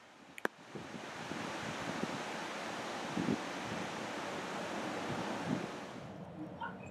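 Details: Steady broadband rushing noise like wind or surf fills the recording, with a few faint clicks and no clear animal voice.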